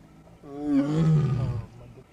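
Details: Bengal tiger in the wild at Burapahar, Kaziranga National Park, Assam, its roar reverberating through forested rocky hills: one low, rich, drawn-out bellow that swells, holds briefly, then drops and dies away, with no other sounds competing.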